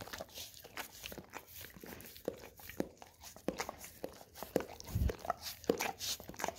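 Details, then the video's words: Golden Retriever licking an Orapup tongue cleaning brush covered in peanut butter indoors; fast, irregular wet smacks and scraping clicks, with one louder low thump near the five-second mark. "Dog Licking Orapup Tongue Cleaning Brush - Golden Retriever"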